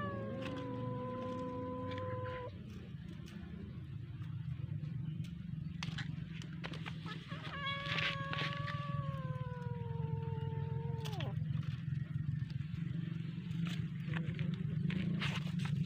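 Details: House cat at play with a fish, giving long drawn-out tonal wails: one sustained cry for about two seconds, then a longer falling yowl from eight to eleven seconds, above a constant low motor drone.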